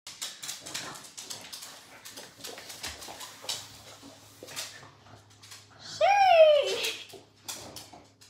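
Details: Pug dog playing tug of war with socks indoors; a single high, arching whine near the end, preceded by scuffling, clicking and rustling play noises.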